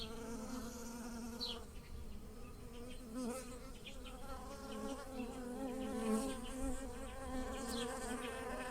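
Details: Bees buzzing among blossoming lilacs in a garden while pollinating the flowers: a steady droning hum with stacked harmonics that rises and falls as insects fly past, plus a few faint high bird chirps.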